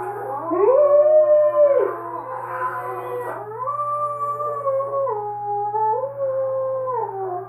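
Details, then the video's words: Female Alaskan Malamute indoors, howling in response to wolf howls playing on a computer: a loud held howl that drops away, followed by lower stepped, wavering howls blending with the recorded wolves. "Alaskan Malamute Howls And Watches Wolfs On YouTube"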